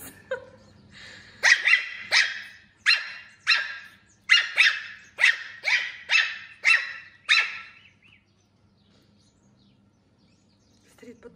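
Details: A puppy reacting to a laser pointer, with a kitten also present, gives a fast run of about twelve sharp, high yipping barks roughly every half second, then falls quiet with only faint rustling afterward.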